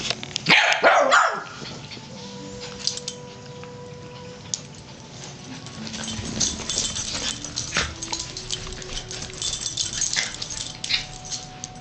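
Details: Two dogs, Daisy and Chewy, roughhousing at play; a cluster of sharp, loud barks bursts out in the first second and a half, followed by steady scuffling and rustling noise with faint tonal hums in the background.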